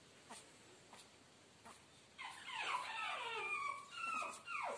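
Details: Young Chihuahua puppy in Guna, Madhya Pradesh, India: faint taps for two seconds, then loud, insistent whines with wavering, falling slides that run almost unbroken to the end.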